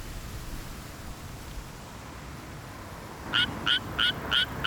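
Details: A Suwon treefrog sings in a healthy rice paddy in mid-June, a quick series of bright, metallic advertisement notes about three per second, calling even in broad daylight; the species is endangered.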